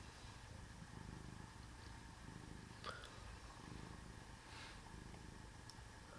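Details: Sleeping cat purring softly: a low, steady, throbbing rumble throughout, with one brief faint squeak near the middle and light background hiss.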